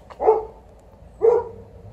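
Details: Dog from a household with an Alaskan malamute and a golden retriever, in poplar-fluff season; two short, mid-pitched woofs about one second apart in a quiet room.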